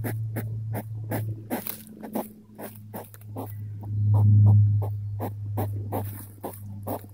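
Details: Curious hedgehog approaching, sniffing and grunting: short breathy huffs repeated about twice a second, some louder and snorting, over a steady low hum.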